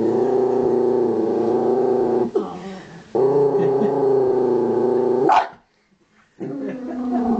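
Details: Miniature Dachshund named Honey growling angrily while guarding a pig's ear given as a treat, long sustained rumbling growls with a brief dip near two seconds and a short silent gap before the growl resumes.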